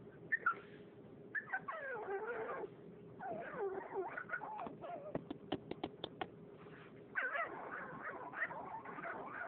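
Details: A female French Bulldog whimpers in wavering, squeaky whines and short yips, wanting attention and play.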